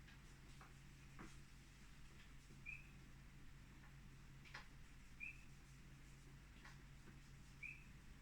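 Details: Painted reed frogs in the background near a stand of pines in the Dargle give faint, short, high chirps about every two and a half seconds over a low hum.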